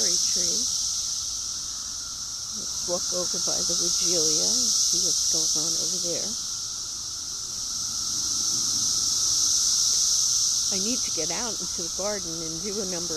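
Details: A cicada invasion: an unbroken high buzzing drone pulses gently in volume behind stretches of human speech.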